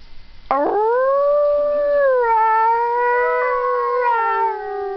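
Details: Jökull, a Siberian husky, giving one long sustained howl that starts abruptly, holds a steady tone, dips slightly lower midway and wavers near the end.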